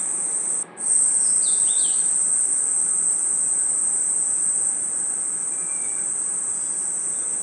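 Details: A nighttime forest insect chorus of crickets: one constant high-pitched ringing drone, cut by a momentary dip near the start, with a couple of quick slurred chirps early on and a faint note later.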